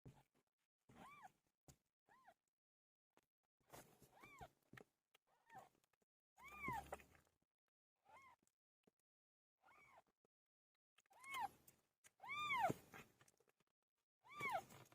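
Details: Pilo, a pet cat, giving birth: about ten short, arched meows spaced irregularly over fifteen seconds, some faint, some louder, with light bumps and rustles between them.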